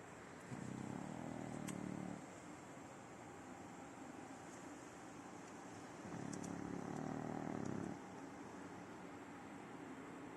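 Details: Sleeping French Bulldog named Simão, adopted and nine years old, gives two long, coarse, low rumbling snores, the second about four seconds after the first ends, over a faint steady background hum with a few soft clicks.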